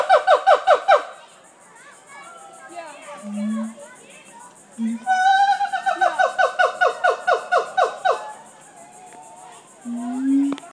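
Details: A siamang at Jacksonville Zoo gives loud, ringing barks in quick rhythmic bursts, with low booming notes between them.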